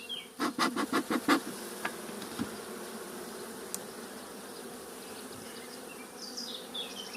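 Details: Honey bee buzz from a hive being expanded with foundation sheets. Six quick wooden knocks open the clip before a steady, low colony hum takes over. Scattered bird twitters sound in the background.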